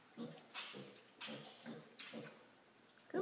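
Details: Female piglet, five weeks old, indoors after learning to jump up onto furniture to reach her owner; short soft grunts come in quick bursts about every half second, breathy and low, while a woman's voice coaxes her on.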